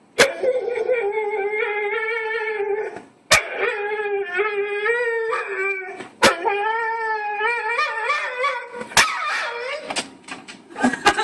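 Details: Pet dog making strange, weird noises: long sustained howling tones with a steady wavering pitch, broken into three drawn-out phrases of about three seconds each, with sharp clicks between them and shorter yelping sounds near the end.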